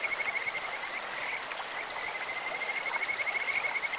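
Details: Kajika frog chorus in a stream: a sustained high, fast-pulsing trill with brief louder bursts, set against rushing stream noise.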